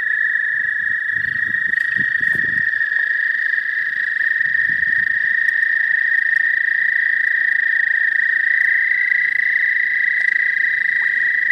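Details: Spring chorus of American toads from the southern half of the state: one loud, unbroken, high-pitched trill runs throughout, with a fainter lower drone and a few soft low thumps early on.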